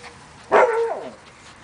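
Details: Five-week-old Siberian Husky puppies playing outside: a single short yelp with a bright harmonic onset, then a dropping, fading whine, lasting about half a second against quiet background.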